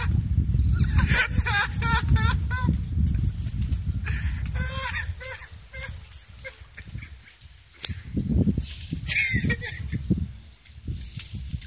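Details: A 4-month-old Alaskan malamute, meeting a water hose for the first time during an outdoor shower, gives wavering, harmonic woo-woo vocalizations over a steady rush of spraying water.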